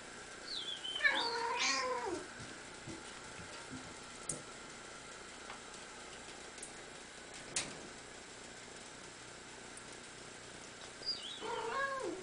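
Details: Domestic cat, female, vocalising in response to whistling: a long, wavering, yowling meow opens, followed by quiet room noise with a few soft clicks, then a second bending, drawn-out meow near the end.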